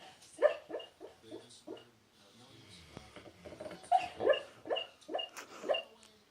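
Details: Pet dog asleep and dreaming, hiccuping and snoring, bubbles forming at its mouth; a run of quick, clipped hiccups, a quieter stretch of low snoring breath, then another burst of evenly spaced hiccups.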